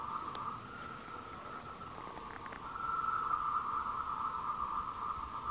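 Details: A steady, high, trilling drone of tree frogs calling to attract mates on the Wulong trail at Meiling, Nanxi, Tainan, Taiwan, on 26 April 2018.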